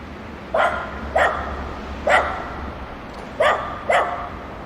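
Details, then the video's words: Barking from dogs at play: five clipped, bright barks, the first three evenly spaced, then a short gap before a close pair, with low hum underneath. "The sound of dogs barking and playing together"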